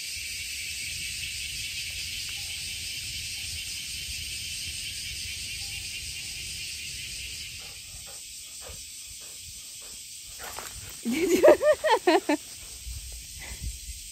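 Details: Cicadas in a Japanese summer under blue sky: a steady, shimmering drone fills the air, then fades as sharp, loud pulsing buzzes burst out briefly.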